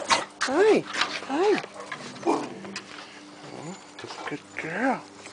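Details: Beagle named Chica at home, playing with a shaved bichpoo named Perla: a series of short, arched yelping whines that rise and fall in pitch, about four in five seconds, with a person's voice and household noise behind.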